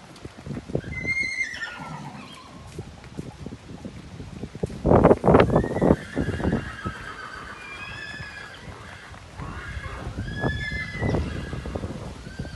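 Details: Young Colombian Paso Fino horses of a new generation at a breeding farm in Colombia. Several high, shaky whinnies slide downward in pitch and come at intervals, with heavy hoof thumps and clip-clop in between.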